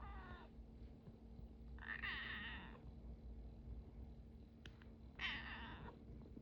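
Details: A very timid kitten; three drawn-out, wavering meows, the middle one longest, over a constant low hum indoors.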